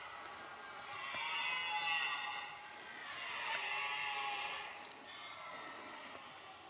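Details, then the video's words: Red deer stag roaring during the rut, filmed on a stalking approach. Two long, harsh, swelling bellows, each lasting about one and a half seconds, with a fainter third call trailing after. No other clear sounds. "Au coeur du brame"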